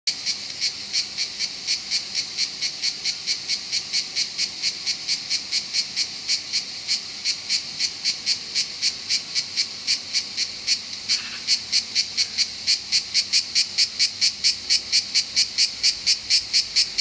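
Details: Cicadas singing in Southern France: a loud, buzzy, high-pitched pulsing song, rapid regular pulses about four per second, sustained throughout without pause.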